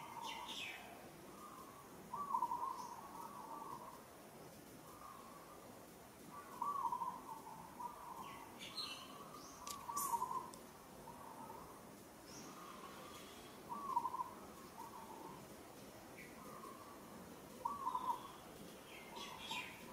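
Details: A female monkey in Kampong Cham Province, Cambodia, gives tonal, wavering calls in bouts every few seconds, struggling and calling in distress while another monkey grips her with strong hands.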